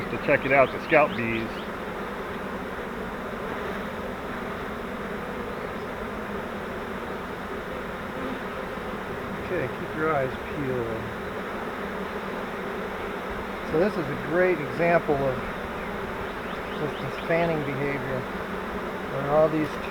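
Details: Honey bee swarm caught in a custom flowerpot swarm trap used as a bait hive: a steady, dense buzzing hum fills the whole stretch, broken by a few short bursts of human speech.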